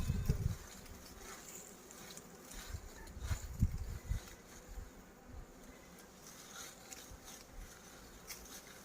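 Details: Bees buzzing while honey is harvested: a low, droning hum that swells and fades unevenly, with a cluster of thumping handling knocks in the opening second and a faint hiss above.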